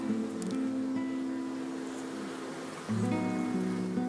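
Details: Soft plucked guitar music over a low background hiss, with no animal voice.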